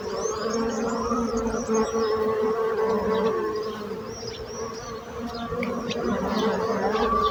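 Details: Bees buzzing in a steady low hum that holds through the whole stretch, with a gentle swell and fade in loudness, while small birds chirp and twitter faintly overhead.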